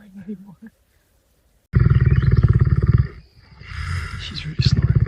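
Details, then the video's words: Snoring lion, brief murmured speech first, then a rapid, pulsing, rasping low snore in a burst of over a second, a pause, and a shorter second burst, with a faint steady high tone running underneath. "Храп льва."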